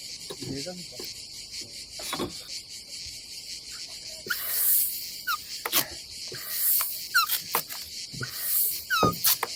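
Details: Summer cicada chorus at a Croatian campsite by the Adriatic Sea, a constant shrill buzz that rises into long pulsing swells in the second half, with short squeaky chirps and scattered knocks and taps nearby.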